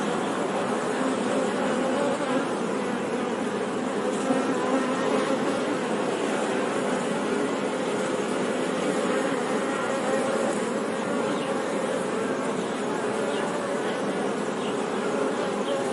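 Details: Steady droning buzz of honey bees, a soft continuous hum at even loudness with faint wavering overtones, unbroken from start to finish.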